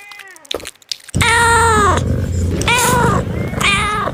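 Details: A cat meowing in a bamboo tree while looking for food: one long, loud, slightly falling meow with strong harmonics, followed by two shorter meows, over a low rumbling background.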